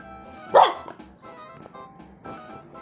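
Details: Pet dog barking to ask for a snack: one short, sharp bark just after the start, then quiet, over cheerful background music.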